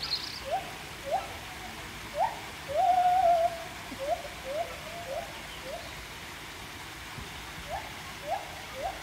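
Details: At Chester Zoo in March 2024, several gibbons, one up on a post, give a run of rising whoops with a longer wavering note in the middle, while young visitors call back amid crowd murmur. Gibbon.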